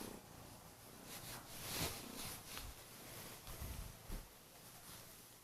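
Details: Kurilian Bobtail cat purring loudly on a bed in the morning while waking its owner, also nibbling gently at the hands; a low, steady rumbling purr with soft rustling bursts from movement on the bedding.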